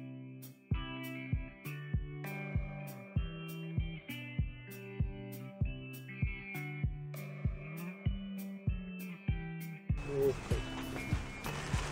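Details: Plucked guitar music with a regular beat, swelling into a fuller strummed passage near the end, no animal sound.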